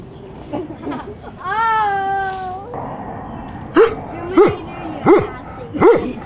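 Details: Sam, a 12-year-old male Newfoundland dog, recorded in June 2009 with his mobility limited. A drawn-out tonal whistle-like note comes first, then four sharp, deep barks about every 0.7 seconds.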